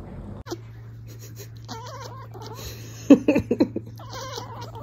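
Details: Cat chittering, October 2023: warbling, wavy trilled chirps, a louder cluster of choppy clicks near the middle, then another wavering trill, over a constant low electrical hum.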